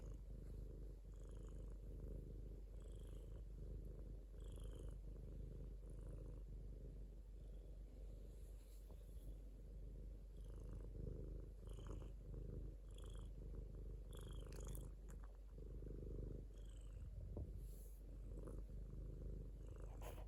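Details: Domestic cat giving a long, even purr, low and rumbling, pulsing gently with each breath, with scattered faint clicks and rustles over the top.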